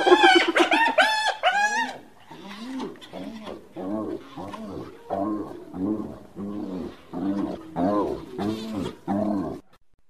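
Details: Hyena calling in a quick burst of bright, arched yelps, then a long run of lower, softer, chuckling notes in separate pulses roughly every half second to second.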